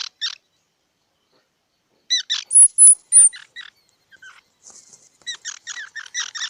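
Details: Squirrel giving short, squeaky harmonic calls in quick bursts, then a thin high whistle near three seconds, followed by a fast run of clipped chirps to the end; quiet background otherwise.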